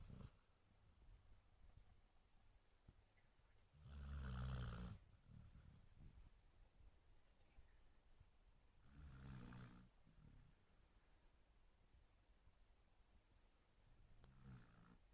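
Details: Basset Hound asleep, giving a loud rumbling snore near the start, then softer, fainter snores spaced several seconds apart over a steady low room hush.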